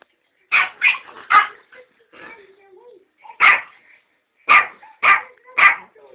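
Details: Guarding a box of sweets, Ben the Yorkshire Terrier fires off harsh, high barks, three quickly, then a pause filled with soft murmuring and a low whine, then four more evenly spaced barks.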